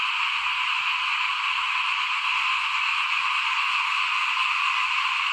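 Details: Small frogs calling in front of a house during rice sowing time in 2021: a dense, unbroken chorus of many callers, a steady high-pitched trilling wall of sound with no pauses, and faint low rumbles beneath.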